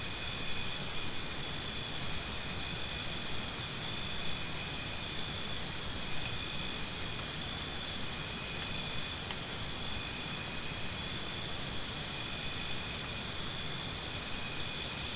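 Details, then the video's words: Crickets calling at night-like steadiness: two separate bouts of quick, evenly pulsed chirping from one loud insect, each lasting a few seconds, set against a constant high-pitched chorus and soft rumble. "Tinnitus Relief? Try Listening to Cricket Sounds"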